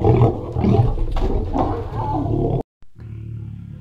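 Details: Free-roaming lions feeding and fighting over meat at Mount Etjo Safari Lodge, Namibia, watched from a cage: deep rumbling roars and growls for over two seconds, a brief silence, then a quieter low rumble.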